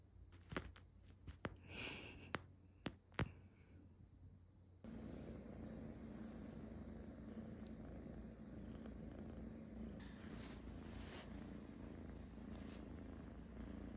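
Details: Several sharp taps and clicks open the recording, then a house cat settles into an even, low, continuous purr that runs to the end.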